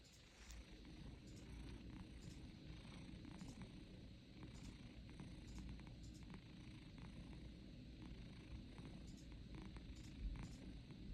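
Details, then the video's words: Cat snoring: a steady low rumbling purr-like drone running throughout, with faint soft clicks above it. "snoring of cat"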